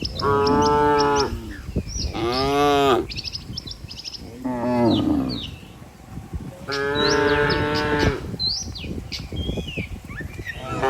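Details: Herd of healthy cattle walking together toward the barn with a herder. Four long, drawn-out harmonic moos arrive several seconds apart, each rising then falling in pitch. Small birds chirp high in the background between calls.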